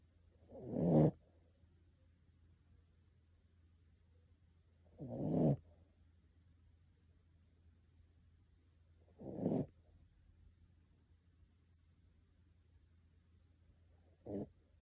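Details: A Miniature Pinscher snores in its sleep, four rough rattling breaths spaced about four seconds apart, the last one shorter, with low steady hum between them.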